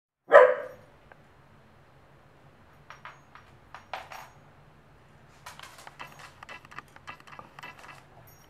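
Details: Nestori, an 11-month-old Pembroke Welsh Corgi, indoors seeing soap bubbles for the first time, gives one sharp, loud bark at the start, followed by quiet scattered clicks and light tapping sounds in a small room.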